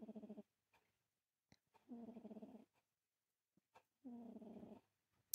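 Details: Sleeping pet cat snoring deeply, three buzzy pulsing breaths about two seconds apart, each a rattling low drone with a clear harmonic stack, separated by silence.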